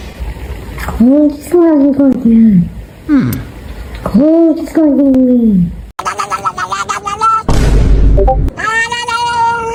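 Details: A domestic cat with a deeper-than-usual voice gives deep, drawn-out meows that rise and fall, followed by higher, more sustained cries.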